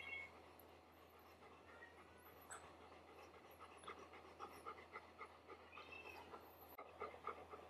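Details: Golden Retriever puppy meeting its older brother, a look-alike Golden Retriever, for the first time indoors; rapid rhythmic panting, several breaths per second, growing louder in the second half, with faint high squeaks.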